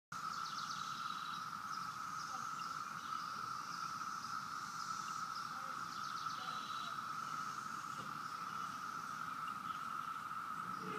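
A cicada's steady, unbroken whine holds one even pitch throughout, with faint bird chirps in the background.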